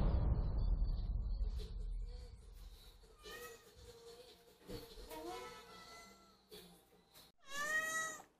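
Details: Female former stray cat, indoors, leading her caretaker to the feeding spot when hungry: a few short, clear tonal meows, the last one loud and drawn-out with a rising then falling pitch, after rustling; human voice faintly nearby.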